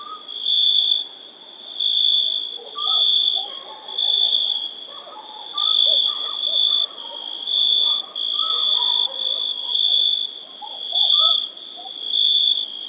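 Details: Crickets chirping on a summer night: a high, shrill, pulsing trill in bursts of roughly a second, repeating steadily with brief dips between, over faint scattered short whistled notes lower down.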